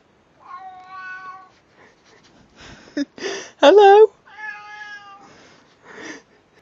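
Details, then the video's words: Domestic cat meowing in a compilation of cats saying hello, two drawn-out harmonic meows framing a person repeatedly calling hello, with a loud spoken burst in the middle. "Funny Cats Saying Hello"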